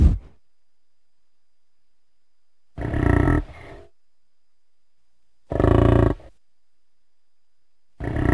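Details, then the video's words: Harsh, gravelly roaring bellows from a bison, three bursts under a second each spaced by silent gaps, with a brief fading grunt trailing the first full call. "Buffalo & Bison sounds"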